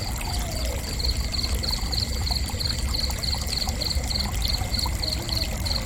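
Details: High, thin cricket chirps repeating roughly three to four times per second in a fairly even series, heard above a continuous wash of streaming water.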